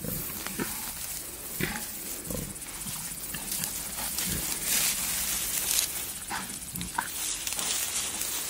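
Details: Wild boar, a male courting a female in the wild: short low grunts come in scattered bursts over a steady hiss of rustling and movement through vegetation.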